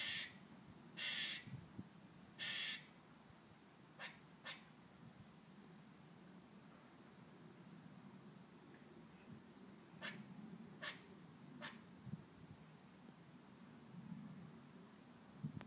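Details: Harsh squawks from a squirrel heard from a garden in sunshine, three rough nasal bursts in the first three seconds, then sparse sharp ticks and clicks against steady low ambient noise.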